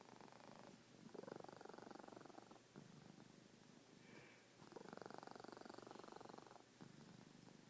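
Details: Pet cat snoring softly. A buzzy, vibrating drone swells on each breath, about two to three seconds long, with slight dips in between. The indoor background is otherwise quiet.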